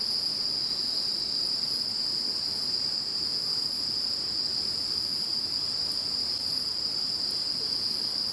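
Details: High, unbroken insect trilling heard after Typhoon No. 21 passed, several steady tones layered together like a shimmering drone, with no breaks or other sounds.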